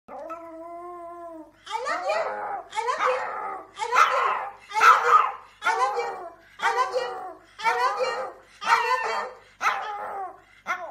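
A small dog's voice opens with a level, high-pitched howl held for over a second. Then come a run of short, quavering howls and yelps, each breaking off and starting again roughly every second.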